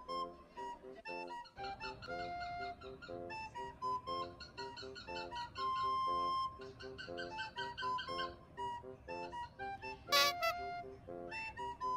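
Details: Bright, flute-like instrumental music plays throughout, with a brief harsh burst near the end; no clear animal voice stands out.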